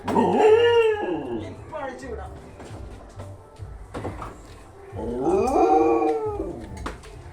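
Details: Excited dog greeting its owner on his return home, giving two wavering, rising-and-falling howls with rich harmonics at the start and again near the end, mixed with a man's speech and faint music.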